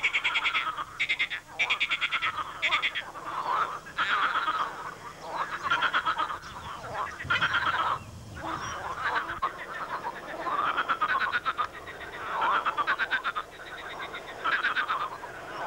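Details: Swamp chorus of many loud frogs, perhaps calling for the mating season; rapid rattling croak bursts every second or so, overlapping and ringing, with short quieter gaps between surges.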